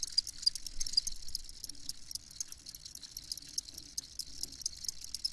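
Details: Field crickets chirping, a dense chorus of short, rapid high-pitched pulses, irregular and overlapping, with a faint low rumble underneath.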